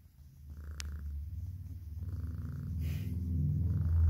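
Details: Two pet cats, Oscar and Oliver, purring while being fed; a steady low rumbling purr with a fast pulsing rhythm that grows louder, a brief sharp click, and faint higher hums in the background.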